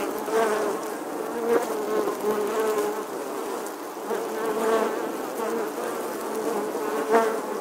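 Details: Bees at a nest inside the weathered stone wall of an old church in England, August 2020: continuous droning hum from many insects, swelling briefly as individuals fly near.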